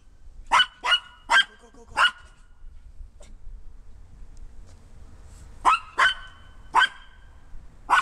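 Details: Harry, a Maltese, barks from a deck at two other Maltese, LeLe and Stella, running on wet backyard grass, seemingly calling them back: four quick sharp barks, a pause, then four more spaced barks.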